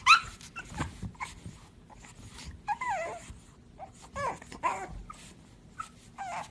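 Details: Pug whimpering indoors in a run of short, high whines that rise and fall, each under half a second, spaced irregularly over six seconds, with faint snuffles and background rustling between them.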